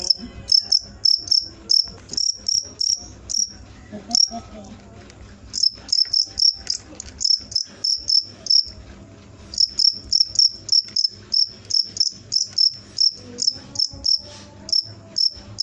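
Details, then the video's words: Cricket chirps: sharp, high-pitched pulses in quick bursts, pausing briefly around four and nine seconds, then resuming at a steady fast rhythm over a faint low hum. "suara jangkrik mantap"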